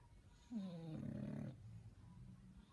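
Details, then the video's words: English Bulldog puppy sleeping and snoring: a brief falling, whiny harmonic tone, then a rough, low rumbling breath lasting about a second, fading into softer low breathing. "Little bulldog snoring"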